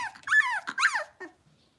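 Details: Six-week-old blenheim Cavalier King Charles Spaniel puppies, a litter of five born on New Year's, in a home puppy pen. Two high, wavering whines with rich overtones, then a short, soft yip fading into quiet.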